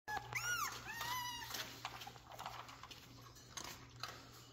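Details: Jack Russell Terrier puppies recorded indoors on 3/7/2024. High-pitched, arching whimpering squeals cluster in the first second, then fade into quieter scuffling and shuffling noises over a steady low electrical hum.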